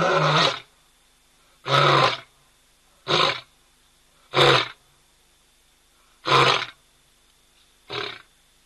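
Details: Male lion at ol Donyo in Kenya, filmed by a hide camera, gives six short, gruff, breathy grunts, each about half a second long and spaced a little over a second apart, ending more softly. The background is otherwise quiet.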